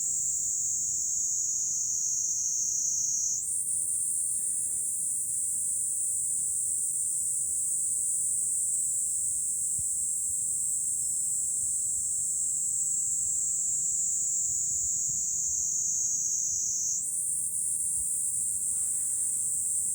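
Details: From a lookout over Fukuoka city, Japan, July cicadas keep up a relentless high, hissing drone, stepping up in pitch twice as callers overlap, with little else but a quiet low hum.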